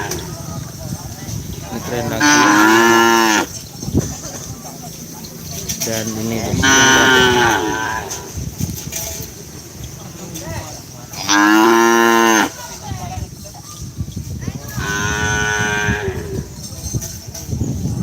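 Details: A pair of young racing cattle at the Asemanis track in Pamekasan, Madura, East Java, Indonesia, home of Kerapan Sapi bull racing. Four long, rich moos come roughly every four to five seconds over outdoor crowd noise.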